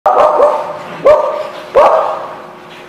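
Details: Dog barking, recorded May 13, 2016: three loud, abrupt barks about a second apart, each ringing out and fading, over a steady droning background noise.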